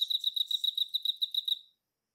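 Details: A short burst from a male Emma field cricket: quick, bright, high pulses that slow slightly and fade out, followed by silence.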